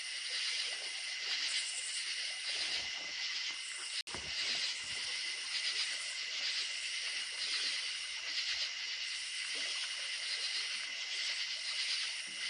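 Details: A steady night chorus of crickets in the countryside, high and shimmering, over the soft rush of a running creek.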